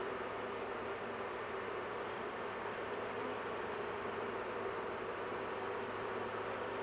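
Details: Honey bees during a large hive intervention, queen placed in a cage to avoid crushing her; dense, steady broadband hum of many bees with no pauses or changes throughout.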